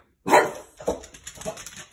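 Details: French Bulldog indoors barking at an oven being cleaned, which it dislikes; one loud, sharp bark followed by two softer, shorter, grumbling barks about half a second apart.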